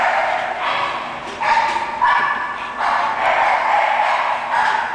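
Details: English Bulldog vocalizing in drawn-out, rough, hoarse barks. Each lasts about a second, with short gaps between them, and the sound is slightly muffled.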